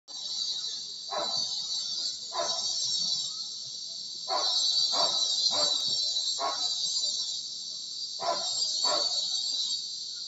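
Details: Cicadas, called kuliglig in Tagalog, heard from a bedroom window while dogs bark: a steady, dense high buzz runs throughout, with repeated short lower barks breaking in about every second.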